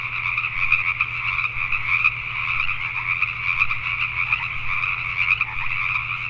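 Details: Pacific tree frogs at night, Richmond, British Columbia, Canada: many frogs croaking together in a thick, steady chorus of rapid raspy pulses over a constant low hum.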